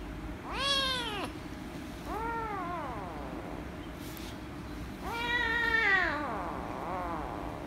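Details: Angry rescue kitten meowing loudly as it is petted, three to four harmonic-rich meows, the first and last loudest, each rising then dropping in pitch, spaced about two seconds apart over a low background hum.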